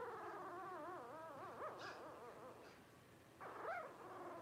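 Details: Blenheim Cavalier King Charles Spaniel puppy, one of five aged 12 days, cries in a tremulous wavering whine that undulates up and down, followed by a short, higher squeak.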